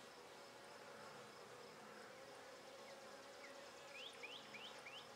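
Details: Calm Buckfast honey bees, settled after being irritated when the first frame was pulled, keep up a steady droning hum in their opened hive, while a bird's short rising chirps repeat near the end.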